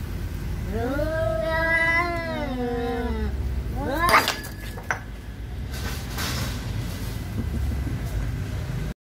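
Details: Angry Siamese cat confronting an orange cat over territory: one long wavering yowl of about two and a half seconds, then a sharp short cry and scuffling, with background traffic hum.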